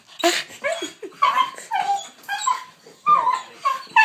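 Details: Excited dog, ten years old, shrieking at the sight of its leash ahead of a walk; loud piercing yips and bent whining cries, about two each second, each bursting out then falling away, inside a small room.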